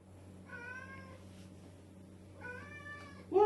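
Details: Pet female cat meowing loudly indoors at dinner time, begging for food: two drawn-out, even meows about two seconds apart over a low steady hum, then a woman begins speaking.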